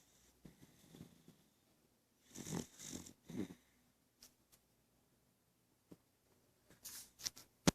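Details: Cali, a beagle, snoring indoors: a few soft breathy rumbles, then two louder rasping snore breaths close together, followed by quiet pauses and sharp small clicks and rustles near the end.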